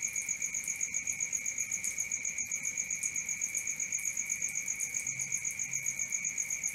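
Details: Night cricket chorus of continuous rapid pulses, close to four per second, layered as a thin high trill over a lower steady ring, unbroken from start to end, with faint low rustle underneath.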